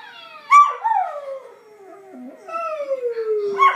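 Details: Mira, a Kelpie, lets out one long mournful howl that drops steadily in pitch, briefly dips, then rises and glides down again before a sharp yelp at the end.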